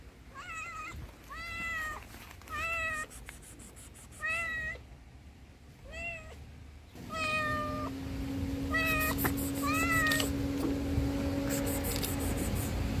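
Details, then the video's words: Homeless tuxedo cat begging for food, meowing over and over in rapid, fairly regular bursts of about three per second, each meow bending up then down; a steady low hum and rising background noise join midway. "The Tuxedo Cat Meowed Hysterically, Asking Me for Food"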